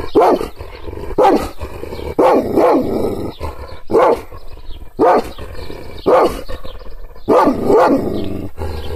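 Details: Angry Kangal shepherd dog, teased by hand gestures without physical contact, gives about eight loud, harsh barks at a steady pace of roughly one per second. Some come in close pairs, with low rumble between them.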